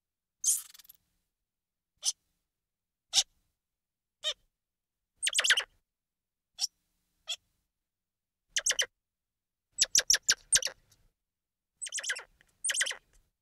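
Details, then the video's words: Squirrel monkey voice in short, high, crisp chirps spaced a second or so apart, becoming denser later with fast stuttering clusters of three to five notes. "Squirrel Monkey Sound"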